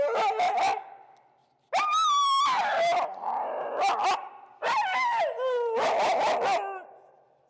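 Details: Finnegan, a feral husky in Chicago, vocally disagreeing with a behavior during leash heel training with pressure. Loud, drawn-out, warbling yowls rise and fall in pitch, in three main outbursts separated by brief pauses.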